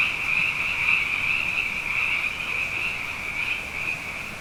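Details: Nighttime chorus of plentiful frogs after two wet years: high, pulsing calls blend into a rapid churring band that swells slightly and then fades a little toward the end.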